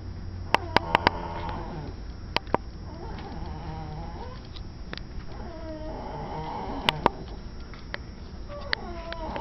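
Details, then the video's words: Dog indoors making an odd, wavering call: drawn-out harmonic yowls that slide downward, repeated several times, with sharp clicks and knocks, low steady hum and background noise. "Weird Sound Cute Dog"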